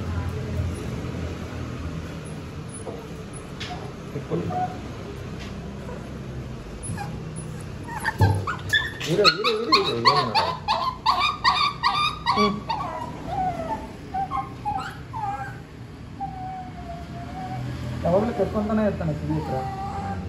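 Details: Shih Tzu dog receiving its second vaccination during medical treatment, giving a burst of rapid, high, harmonic yelps and squeals, then drawn-out descending whimpers, with a quieter yelp near the end; human speech in the background.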